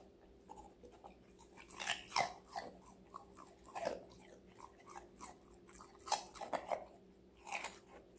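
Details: Indoors, five-month-old Golden Retriever Connie, female, chomps on assorted vegetables. Loud crunchy bites cluster in two bursts, with lighter chewing between them and a constant faint hum.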